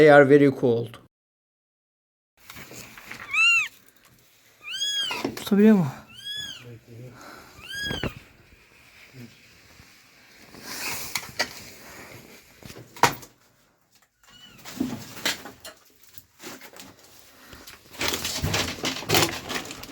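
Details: Rescued abandoned kitten, found freezing in snow at -11°C after two days, utters a quick series of short, bowed meows, with human speech at the start and rustling noise and murmurs afterward.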